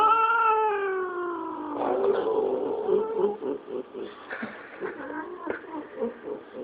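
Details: A female domestic cat, hating and yelling at the other cats, caterwauls: a long, drawn-out falling yowl breaking into rough, grumbling moans.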